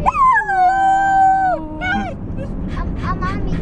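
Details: Dog indoors as a new 12-week-old Australian Shepherd puppy, Toby, meets Gideon, a Shiba Inu: a long drawn-out whining howl sliding slowly downward for about a second and a half, then two short whimpers, with people talking over it.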